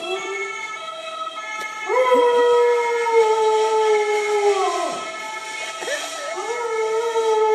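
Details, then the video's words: Uly, a Cocker Spaniel, howls along to ambulance sirens. Long, sustained, slightly wavering tones swoop up into each drawn-out howl, which then holds and slowly falls. One begins near two seconds and another near six. A siren wails underneath throughout. "Uly the Cocker Spaniel sings along to ambulance sirens"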